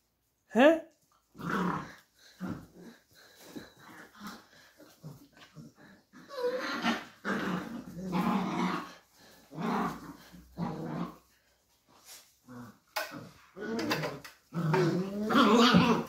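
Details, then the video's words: Beagle puppies arguing and fighting indoors: short sharp yips and bursts of growling come in uneven spurts separated by brief pauses, with a human voice heard at moments. "Beagle Puppies Have An Argument and Fight it Out"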